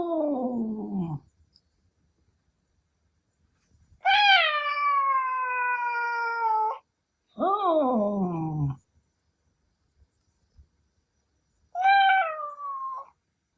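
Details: Male Ragdoll cat, a house pet that sometimes howls like a wolf, angered after its meow was imitated: long drawn wails, one falling, one held level for nearly three seconds, another sliding down, a shorter one after silence.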